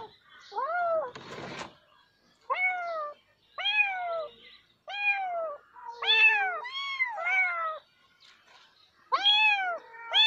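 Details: A cat gives a run of arching meows, short and bright, some paired closely together, with brief gaps and a single noisy rustle or thump near the start; otherwise quiet surroundings.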